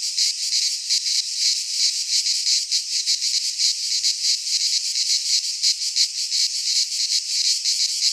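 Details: Shrill insect buzzing from cicadas in a Greek pine forest at midsummer, a constant high chorus swelling and dipping in rapid pulses without pause.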